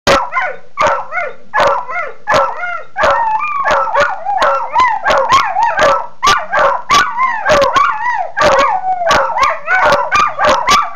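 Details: Two dogs barking at each other in a dispute over a bone: rapid, harmonic, yelping barks with rising and falling howl-like pitch, overlapping in dense bursts, several per second, with no other sounds.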